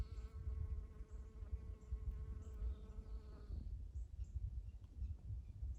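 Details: Several Western honey bees buzz among spring Eastern Redbuds in a steady, humming drone for a few seconds, then cut out against low wind rumble.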